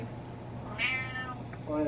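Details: Butters the cat, a male pet, gives a single short, high, nasal meow while asking for what he wants, sliding downward, with a faint voice at the end and a low background hum.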